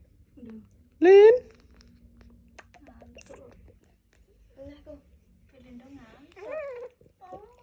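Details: A baby monkey reaching to hug a boy lets out one sharp, loud rising squeal, then softer wavering whimpers and chirps, while quiet human voices murmur nearby indoors.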